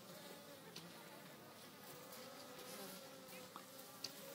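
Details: Honey bees at a natural hive in an old oak tree on a farm; a low, continuous layered hum of many wings with steady humming tones, plus faint clicks and occasional brief higher buzzes of passing bees.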